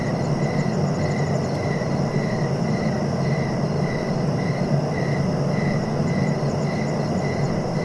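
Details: Steady cricket chirps pulse at a regular pace of roughly two per second, layered over a continuous deep background drone with faint high ringing tones.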